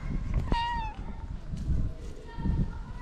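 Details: Meow from a stray cat in Morocco whose kittens were hidden by their mother in a shaded place: one short, clear, slightly falling tonal meow, then a fainter drawn-out one, with a man's voice calling nearby and outdoor background noise.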